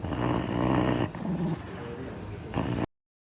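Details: Sleeping Shiba Inu with a distinctive snore: a rough, rumbling, growl-like drawn breath for about a second, a softer, raspy stretch after it, and a brief louder rasp near the end before silence.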